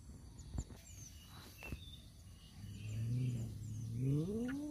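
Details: Male domestic cats fighting over a female: a couple of sharp knocks, then a low moaning yowl that swells and bends upward into a rising wail near the end, with faint distant bird chirps.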